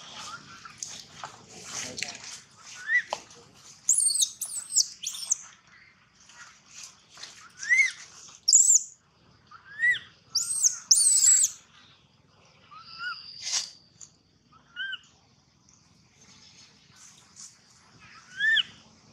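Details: Baby monkey Gino crying loudly for a long time: arched, whining squeals around the middle pitch, broken by sharp high shrieks, coming in bursts with quiet gaps between.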